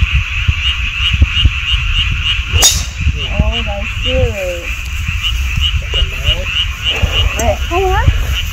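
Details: A chorus of frogs heard in mountain woods by a golf course: continuous fast pulsed trilling, joined midway by several short whistled, bending notes from another caller, over a constant low background rumble and one sharp click.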